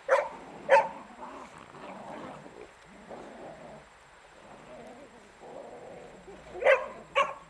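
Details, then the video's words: Playful beagle tugging at a shirt: two loud barks open the recording, low grumbling and whining noises fill the middle, then two more sharp barks close it. "Beagle zabawa - moja koszulka"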